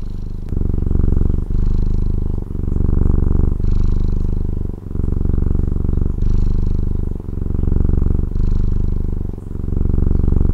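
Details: Loud, close purring from a Taiwanese house cat: a low vibrating rumble rising and falling in regular breath cycles, about nine over the stretch, otherwise quiet.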